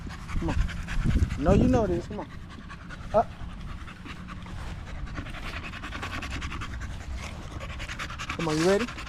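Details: Staffordshire Bull Terrier with other male dogs at a park in the evening: a couple of short wavering yowls early on, a brief squeak, then quiet panting and background hiss until a final rising, whine-like howl.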